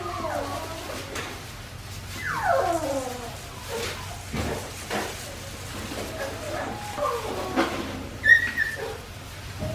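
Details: Winnie's litter of Australian Shepherd puppies, aged 4 weeks 5 days, whimpering: a clear falling whine with stacked overtones early on, then softer wavering whines, and one short high squeal near the end, over faint room hum.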